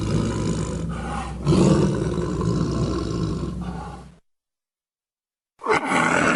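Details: Long, hoarse, booming tiger roar swelling to a peak and fading, followed by silence and the start of another rough roar.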